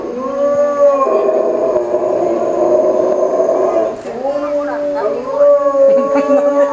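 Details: Captive Chinese wolves at Tennoji Zoo, Japan, recorded 8 October 2015, calling together in a group chorus. Several overlapping long, steady tonal howls, some level and some gently falling. A short dip near four seconds, then fresh howls rise in again.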